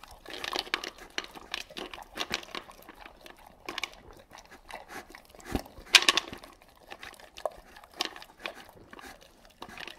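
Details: Dog gulping dry kibble indoors without chewing: rapid, irregular bursts of sharp crunching and clicking, with a louder cluster of crunches midway and short quiet gaps between mouthfuls.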